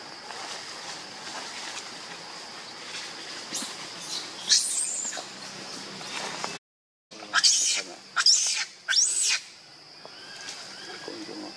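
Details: Monkey; infant distress call; baby calling its mother for help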